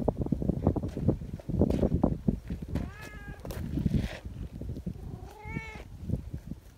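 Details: Sociable local community cats welcoming with noisy calls, each wanting a turn at being stroked; two short meows in the second half over steady low rumbling and rustling.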